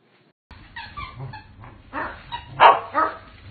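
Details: Corgi giving a run of short yappy barks and higher yips, loudest near the end, with a brief whimpering tone between bursts and a quiet low background hum.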